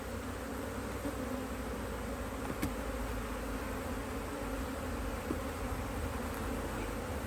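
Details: Working honey bees on an Australian-designed HiveIQ hive, opened in mid-Autumn 2023 to add another box; continuous dense buzzing drone with a strong low rumble and a couple of brief clicks.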